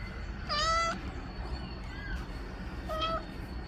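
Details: Domestic mother cat meowing to ask for her kittens to be put in the nest: two drawn-out, level, harmonic-rich meows about two seconds apart over a steady low background rumble and a faint constant high tone.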